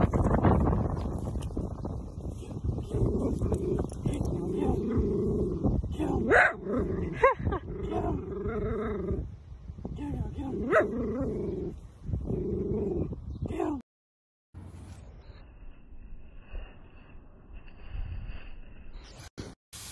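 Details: Playful Dachshund, a sausage dog, voicing a run of low, grumbling growl-barks with wavering, rising and falling tones over several seconds, then a quiet stretch with faint background noise.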